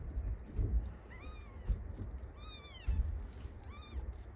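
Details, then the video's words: Tiny four-day-old kittens being weighed indoors. Several thin, arching mews, the longest in the middle, rise and fall in pitch over low thumps and rustles of handling. "赤ちゃん子猫の4日目の体重測定。 Baby kitten weight measurement"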